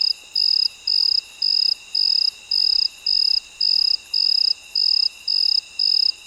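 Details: Cricket at midnight, singing in a steady run of high, shrill chirps, each lasting about a third of a second and repeating almost twice per second, over a faint constant high hum.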